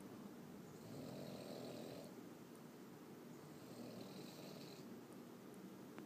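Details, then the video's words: Boston Terrier snoring loudly while asleep: two long, rasping snore breaths, each lasting about a second, separated by softer breathing over a steady background hiss. "boston terrier snoring loudly."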